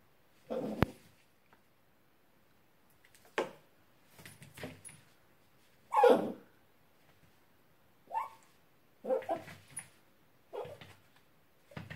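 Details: Dachshund puppy reacting to its reflection in a mirror, giving short separated yelps and whimpering barks in bursts a second or two apart, with quiet gaps between them.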